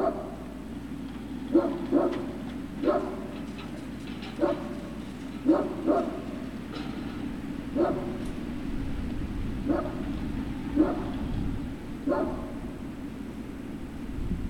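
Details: Great Dane puppies at Puppy Hill on 3 June 2019, around 16:24, yipping and whimpering in brief high squeaks roughly once a second, sometimes paired, against a constant low mechanical drone.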